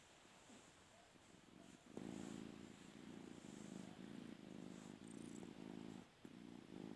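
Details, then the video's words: House cat trying to sleep on a bed: quiet at the start, then a strong low purr begins at about two seconds and rolls on in pulsing waves, with one brief dip near six seconds. "Funny cute cats making noise"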